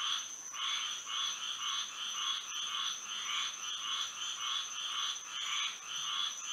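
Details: Night frog chorus in Florida under moonlight: overlapping rhythmic croaks pulsing roughly twice per second, bright and mid-pitched, with a constant thin high tone running underneath throughout.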